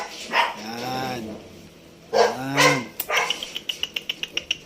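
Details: Shih Tzu puppy being vaccinated, letting out two drawn-out wavering whining cries, followed by a run of quick regular clicking sounds.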